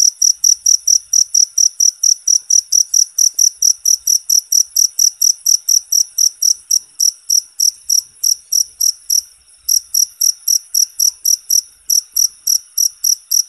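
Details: Natural cricket chirping, used as therapy and song training for songbirds: loud, high, steady pulses repeated about four times a second, with a brief gap near the ninth second and no other sounds.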